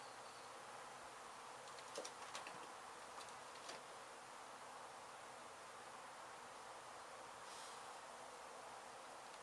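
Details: A honey bee colony being relocated from a demolished abandoned house in Mission, Texas after construction crews struck the hive. A steady, diffuse hum of many wings, broken by a few brief knocks and rustles.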